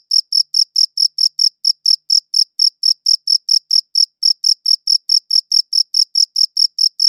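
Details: Chirping cricket in a high-quality recording: steady, sharp, high chirps pulsing roughly four to five per second, evenly spaced with a single short pause, no other sounds present.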